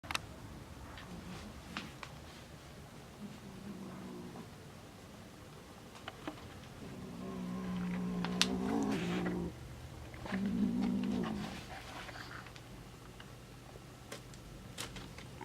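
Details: A two-month-old kitten (Felis catus) makes a strange noise: low, wavering, moan-like sounds in a few short bursts over a steady hum.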